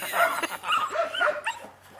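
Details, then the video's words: Four eight-week-old puppies of the H litter at DarkFall, two males and two females, playing: high yelping whines and short yips rise and fall in quick succession, with a person's laughter nearby. "H litter DarkFall play with me 8 weeks old (2 males and 2 females)"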